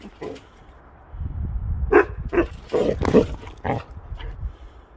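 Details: Basset Hound on a trampoline, with low rumbling bounces, then several gruff, short barks in quick succession around the middle of the recording before trailing off.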